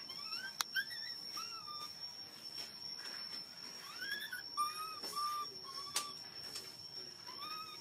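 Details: A baby monkey begs for milk with a series of plaintive whining cries, some rising, others flat and level, repeated roughly every second or two, alongside clicks, knocks and a steady high electronic hum.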